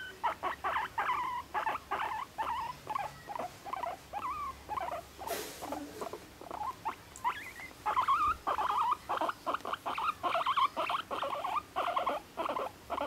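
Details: Moru-chan, a pet guinea pig aged one and a half living in an apartment, chattering with its everyday kyun-kyun and honyo-honyo sounds. Rapid bursts of squeaky, wavering chirps follow one another almost without pause, with a brief rustle midway.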